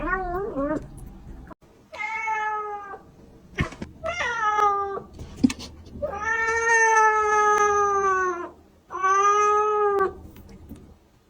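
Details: Kitten meowing, said to be calling to attract other cats: five drawn-out, harmonic meows, some rising then falling, spaced a second or two apart, with sharp clicks and knocks between calls.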